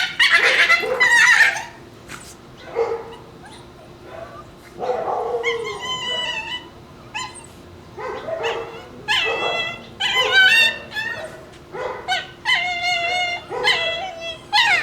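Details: Shiba Inu puppies, two of them, playing over a bone and making strange fox-like screams: harsh, harmonic squeals and yelps in bursts, some wavering and drawn out, with quieter gaps between outbursts.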